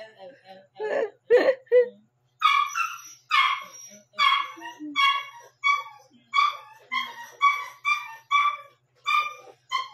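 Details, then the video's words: One-month-seven-day-old Shih Tzu puppy yapping near midnight: a steady run of short, high, bright yaps about every half second, with a few low human sounds at the start. "shitzu 1 month And 7 days tumatahol na pala"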